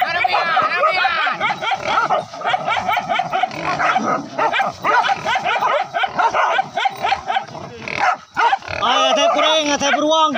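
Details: Pack of village dogs hunting wild boar with spear-carrying hunters, chasing from the forest down to a river: dense overlapping high yelps and barks throughout, strongest in bursts, with brief human voices mixed in.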